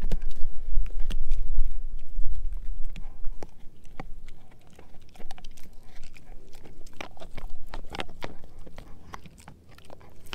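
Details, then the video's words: Edu, a German Shepherd mix, gnawing a dehydrated pig ear chew indoors. Crunching, cracking bites come in rapid, uneven bursts, with low thuds and wet chewing between the crunches. "Edu Eating a Dehydrated Pig Ear Dog Chew"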